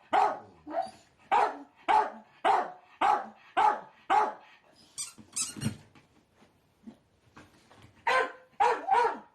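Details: Kuu, a male pet Miniature Dachshund, barks at home on hearing his favourite squeaky toy on TV: a run of eight sharp, evenly spaced barks, a short noisy pause, then three more barks.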